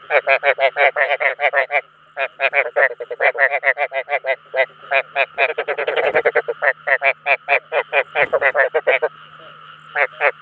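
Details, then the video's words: Several rice field frogs croak to attract fellow frogs, rattling out quick rows of harsh pulsed notes with one short gap near two seconds and a thinning toward the end, over a steady background hum. "Tiếng Ếch Đồng Chuẩn 2024 ( Tiếng Kêu Thu Hút Đồng Loại )"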